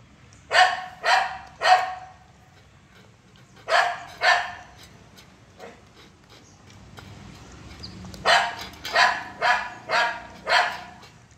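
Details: Series of brisk puppy barks from a 45-day-old Saint Bernard eating curd: a run of three, then two, a lone quieter yelp, and finally a quick burst of five. Each bark is short and harsh, with quiet indoor background between them.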